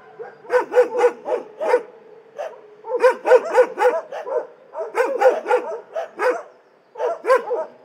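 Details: Multiple dogs in an animal shelter bark in rapid clusters of four to six sharp barks separated by brief pauses, the voices overlapping.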